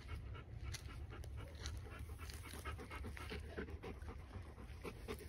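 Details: Bernese Mountain Dog named Justin from the Bär Vom Matterhorn kennel, panting in quick, soft breathy bursts over a low background rumble.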